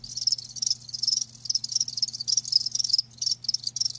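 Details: Crickets, kept live, giving high shrill pulsed chirps in quick bursts with brief pauses, over a faint steady low hum.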